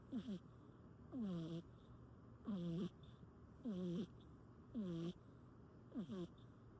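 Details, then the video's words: Sleeping pressed against its owner, a cat snores in regular wheezy cycles roughly every 1.2 seconds. Each is a high, downward-sliding squeak with a breathy hiss. "Stuck to Me… Snoring Away"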